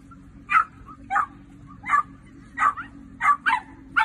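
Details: Sausage dog of the Dachshund breed letting out quick, high-pitched barks, seven sharp yaps in about four seconds at uneven intervals, each short and ringing, with a faint low hum behind.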